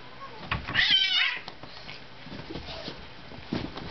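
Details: Two tomcat brothers, orange tabby Blossom and grey Gadget, fighting indoors; one short, loud, high strained yowl near the first second, then quieter scuffling and low thumps in a small room.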